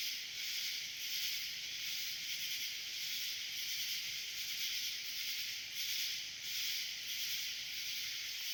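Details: Cicadas swarming on a summer night produce a continuous high, buzzing hiss that swells and fades slightly in slow waves, filling the whole recording without pause.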